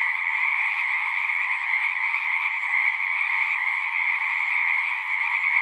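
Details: Many frogs calling at once from a pond in a horse pasture, taped on a Zoom 6, producing a steady shimmering trill chorus with a bright upper band over a lower one, evenly loud with no gaps.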